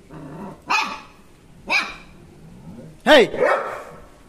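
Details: Barking from German Shepherds, with a person calling encouragement: three sharp, well-spaced barks about a second apart, the last one louder with a falling yelp-like tone, plus faint low voice sounds between them.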